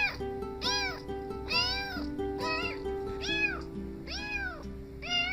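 Kittens mew over and over, each cry a high arched wail that climbs and then drops away, about once a second. Steady music plays quietly underneath.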